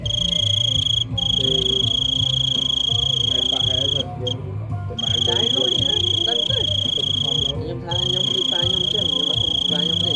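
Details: Big cricket giving a loud screaming call: a shrill, unbroken high tone held for seconds, breaking off briefly twice, while people talk and move about underneath.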